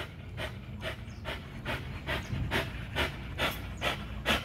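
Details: XL American Bully pitbull exercising on a spring pole at Caona Bullys, breathing hard in rhythmic, hissing pants roughly two per second, each puff sharp and airy, over a constant low rumble.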